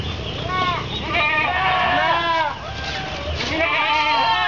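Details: Several goats bleat together in wavering, overlapping cries while waiting to be fed, on Sunday 10 February 2013 at a pesantren in Anjir Palambang, Kapuas, Central Kalimantan, Indonesia.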